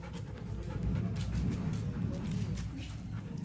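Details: Black double-coated German Shepherd Dog panting in quick, rough, breathy bursts, about three to four breaths a second, over a low background rumble.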